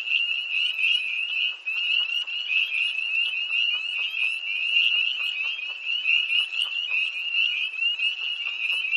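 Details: Tree frogs calling by a pond at night near Hillsborough, North Carolina, on 1 March 2011, in cold air: a dense, continuous chorus of many overlapping high-pitched trills and peeps, steady throughout with no gaps.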